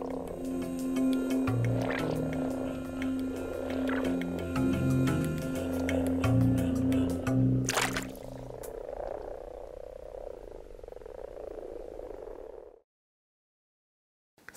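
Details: In mid-March, common frogs crowding a garden pond to mate in early spring give soft, purring croaks in chorus, partly masked by background music.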